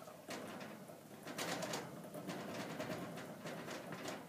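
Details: Pet guinea pig Smudge, kept apart from his brother Fudge after fighting, tries to escape while watching him play indoors; low, pulsing coo-like rumbles repeat steadily over scratchy clicks and rustling.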